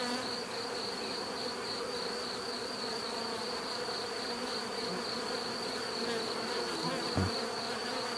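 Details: A swarm of bees hums without a break, low droning tones stacked under a steady high whine, and a short sharp knock sounds just past the seven-second mark.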